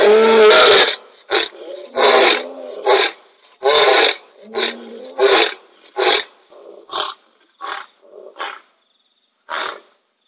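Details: Wild male lion at night at the Kings Camp waterhole, one powerful opening roar giving way to a run of shorter grunting roars that grow quicker, softer and more spaced before fading out.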